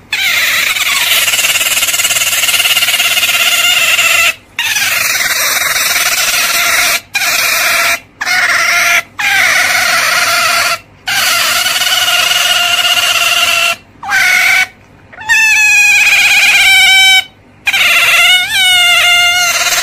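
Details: Otter giving long, sustained shrill squeals on a steady pitch, broken by brief pauses, turning near the end into quavering, wavering chirps.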